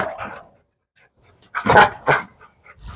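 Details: Rottweiler giving two short, sharp barks about half a second apart after a near-silent pause, with faint softer sounds before and after.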